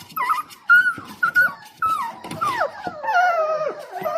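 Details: Four-week-old Dalmatian puppies, a litter impatiently waiting for their dinner indoors; high whining and yelping calls, some flat and sustained, others sliding downward, overlapping one another in quick succession.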